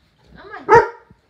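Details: A Saint Bernard puppy lets out a single sharp, loud bark, preceded by a softer rising whine, in an otherwise quiet indoor setting.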